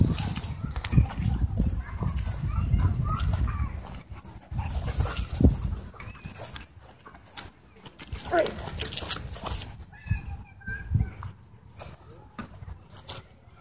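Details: Doberman and Belgian Malinois fighting at a dog park during an e-collar correction: harsh, irregular bursts of growling and snarling, loudest early on, with people's voices in the background.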